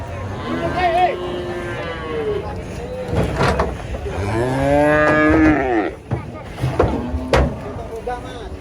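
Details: Giant female cow raging while being loaded for transport under a tree. Loud, drawn-out harmonic moos rise and fall, with a long bellow near the middle, while other voices and background noise are heard throughout.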